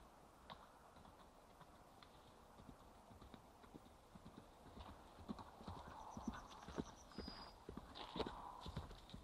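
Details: Irish Cob galloping under a rider on a forest road, recorded on a mobile phone; quick repeated thudding hoofbeats about two per second, growing louder as the horse approaches, with a brief high whine near the end.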